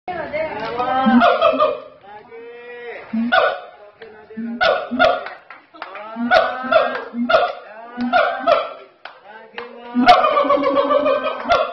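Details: Siamang gibbons calling very loudly at Ragunan Zoo, South Jakarta, Indonesia: harmonic hooting bursts in uneven groups, rising and falling, over low steady booming notes, with short pauses between bouts.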